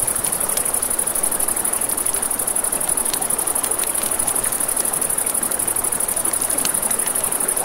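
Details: At night by a river, crickets keep up a steady, high, shimmering trill over a crackling campfire and rushing water.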